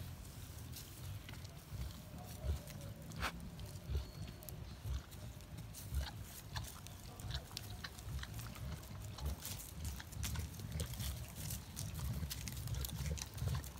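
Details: Collared peccary, known locally as caititu or cateto: low, rough grunting rumble running throughout, with scattered sharp clicks and rustles; faint higher tonal traces appear briefly.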